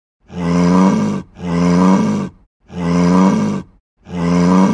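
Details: A sick cow gives four long, low, groaning moos in quick succession.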